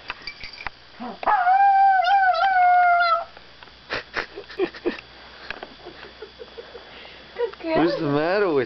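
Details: Izzy, a female pet dog, vocalizing indoors before going to bed: a sustained harmonic howl with slight wavering pitch lasting about two seconds, then a later wavy, yodel-like howl near the end, with scattered clicks and room noise between.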